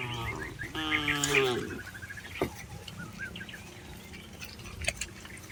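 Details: Tame cattle being herded through a rice field, giving one low, harmonic moo of about a second with a slight rise. Frequent small bird chirps and twitters continue around it over a steady rural background.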